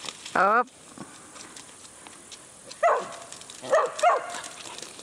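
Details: Whippets greeting a horse for the first time; a long whining yelp opens, followed by a few short barks and yips later on.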